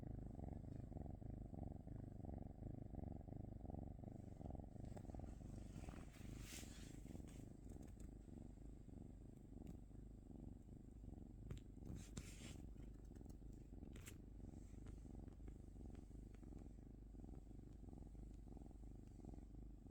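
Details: A cat keeps up a low, droning purr with gentle rhythmic swells, while a few brief rustling and clicking noises break in partway through the steady rumble.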